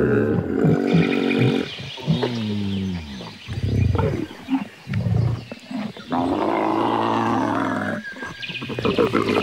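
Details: Camel giving deep, harmonic groans and rumbling bellows, broken by short gurgling pauses, then a long rough drawn-out moan over the last few seconds.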